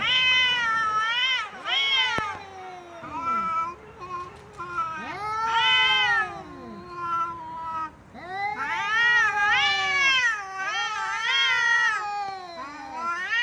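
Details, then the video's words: A cat meows loudly and repeatedly, a series of arched, yowling meows of varying length, some short and sharp, others long and wavering, with brief gaps between them. "Cats Meowing Loudly"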